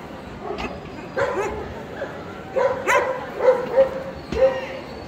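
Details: Champion-class male Pharaoh Hound, EDS 2022 dog show: scattered short yips early, then a burst of four or five shrill, ringing barks near the end, over murmuring crowd noise.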